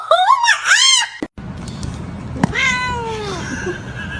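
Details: Domestic cat meowing: a quick run of rising-and-falling meows in the first second, a short pause, then one long meow sliding steadily downward, over a low background hum.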